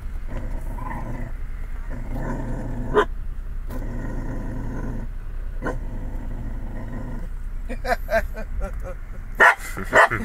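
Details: Lacy, a pet dog, growls and barks at the Chick-fil-A cow on a restaurant visit; long low growls in stretches, a few isolated barks, then a quick burst of sharp barks near the end.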